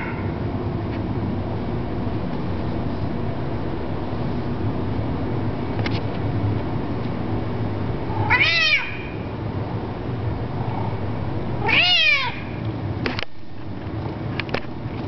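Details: Kito the domestic cat, 2007 recording of his loud voice: two strong descending meows about three seconds apart amid a constant low rumble, with a few sharp clicks.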